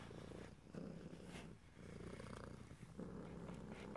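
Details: Domestic cat purr in ear-to-ear stereo, no talking: a thick, low rumbling purr cycling with each breath in roughly two-second swells, soft breathy noise between.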